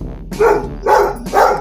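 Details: Domestic dog barks at the television, reacting to a video of himself barking, giving three loud, harsh barks about half a second apart.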